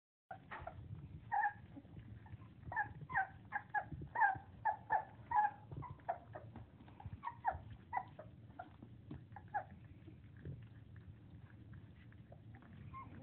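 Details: 4-week-old English Springer Spaniel puppies, eating and playing, give rapid, high squeaky whines and yips over a soft low rumble.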